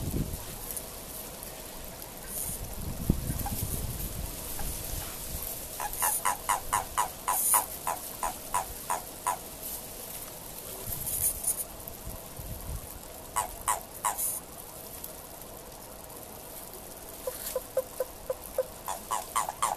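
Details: Short runs of rapid, dry clicking pulses come from a Japanese common toad calling in courtship in March 2023. The bursts recur every few seconds over a soft background rumble.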